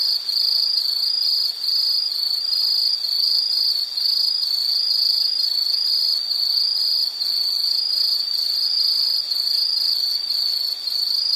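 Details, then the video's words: A high insect trill, loud and shrill, beating in rapid, evenly spaced pulses with occasional tiny gaps, steady throughout. "Sound · Nature Sound of nature sounds scenery L · insect"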